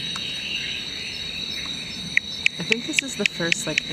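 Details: Philautus surdus male calling to attract females, watched as a female approaches; a series of short sharp clicking notes about every quarter second in the latter half, over a steady high insect drone and quiet human voices.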